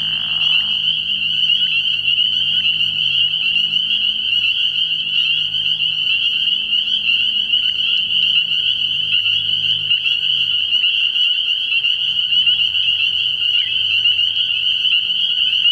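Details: Night chorus of many spring peepers at a frog pond in early spring: unbroken shrill peeping blends into a constant high drone for the whole stretch, with soft low rumbling underneath.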